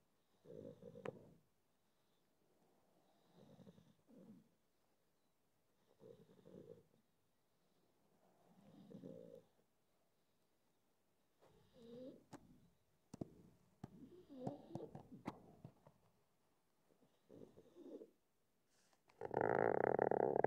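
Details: A drowsy pug deciding whether to go to sleep gives short rough snorting, snore-like breaths in bursts about every two to three seconds, some doubled. A loud burst of broadband noise comes at the end.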